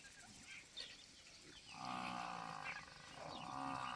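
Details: At a dairy farm near Dhanera, a cow being sold lows twice: a full, steady moo of about a second, a brief pause, then a second similar moo, over faint background chirps and rustling.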